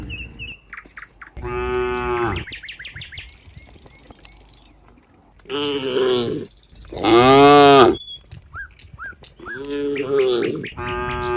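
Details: Cows among a herd by a barn in rural surroundings: a single moo, a long pause with thin bird chirps, then two strong, bellowing moos, the later one loudest and longest, followed by a shorter call at the end.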